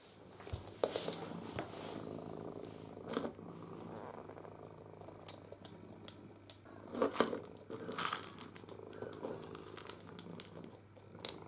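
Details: Male pet cat purring steadily indoors while learning to use an interactive ball feeder; continuous low rumbling purr under frequent clicks, crinkling and rattling of the feeder.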